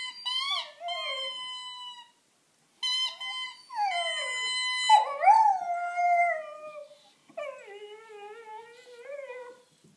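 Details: A 5-month-old female Dalmatian howling along with her squeaky toy bunny, in wavering, high, drawn-out notes that slide up and down, with brief pauses between.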